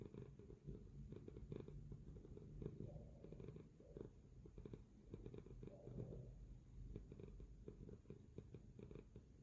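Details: Domestic cat purring while asleep: a continuous low, rough rumble pulsing steadily, with a faint higher hum rising briefly midway.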